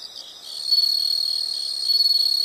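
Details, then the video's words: Dense, high-pitched insect chirping, a continuous pulsed trill that grows louder after the first half second, from a soothing nature sound recording. "the sound of insects"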